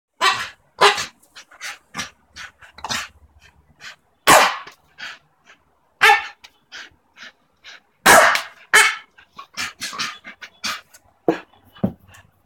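A Staffordshire Bull Terrier barks in sharp, irregular bursts, some deep and some higher.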